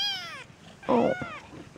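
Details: Young Peterbald kitten from an October 2013 litter of four, born to a Peterbald mother and Oriental Shorthair father: a high, drawn-out meow sliding downward, then a second wavering meow partly covered by a person talking in Dutch.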